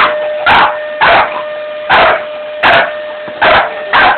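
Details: A Staffordshire Bull Terrier that dislikes vacuum cleaners gives a run of six short, harsh barks at uneven intervals, roughly two per second, over a steady motor-like drone from the vacuum.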